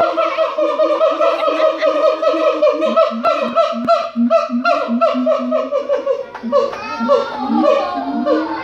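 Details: Captive siamang at the Los Angeles Zoo in full song, a dense unbroken stream of overlapping harmonic barks and hoots, climbing into sharper rising shrieks toward the end.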